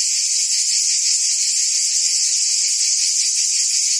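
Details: High, even drone of cicadas buzzing among forest trees, seamless from start to end without pauses or other audible sounds.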